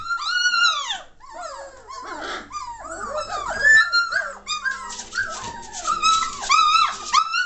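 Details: Noisy three-week-old German Shorthaired Pointer puppies, 22 May 2014: continuous overlapping whimpers, arching whines and sharp little squeals from the litter, some calls drawn out, others clipped and repeated.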